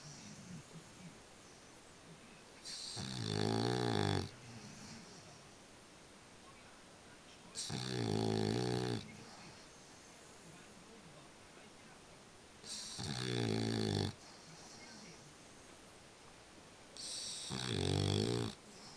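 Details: A French Bulldog snores in its sleep: four loud, rumbling, rattling snores, each lasting one to two seconds and coming about every five seconds, separated by quiet, hissing breaths indoors.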